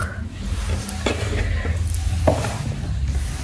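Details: Low rumbling hum with scattered rubbing and scraping clicks, as of cardboard being handled, and no animal sounds.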